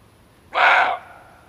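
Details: Single gruff bark from a male barking deer, a sound used to attract animals while hunting; abrupt onset, about half a second long, harsh and broad, then quiet.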